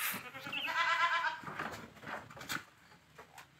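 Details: Boer goat at a village farm, crossbreeding with a young goat; a single moderately faint, wavering, nasal bleat lasts about a second, followed by scattered knocks and low background noise.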